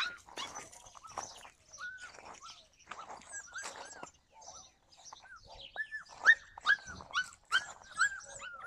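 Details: Yakutian Laika recorded in July 2020, giving high arched yelps and whiny barks in irregular bursts, quieter at first and growing louder and denser toward the end, several calls overlapping.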